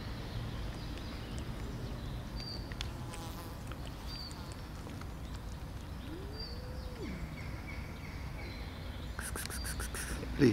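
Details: Angry tortoiseshell cat, said to bully the other cats and keep them from eating, gives a single short arched meow that rises and falls in midrange, over steady low rumbling noise with faint high chirps and a brief clatter at the end.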